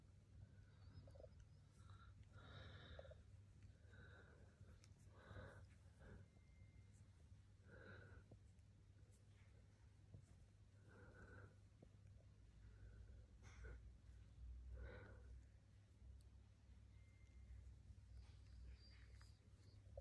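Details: Young cat from Turkey, with several short, thin mewing calls scattered through the recording, well spaced and fairly quiet, against a constant low background rumble.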